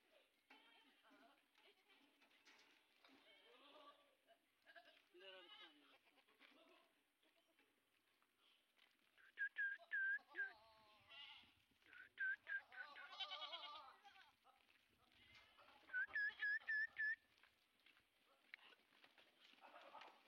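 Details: At a goat farm in Indave, Dhule district, where 130 Sojat bucks are kept for Eid, the bucks let out trembling bleats mixed with human voices. Clusters of bright whistled chirps recur, and there are faint low thumps.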